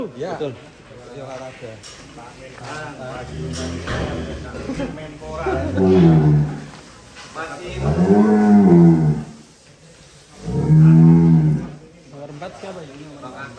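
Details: Sacrificial cattle for Eid al-Adha 2023, animals belonging to celebrities and officials, give three long, deep moos, each arching up and falling back over about a second, spaced a few seconds apart, with faint background murmur.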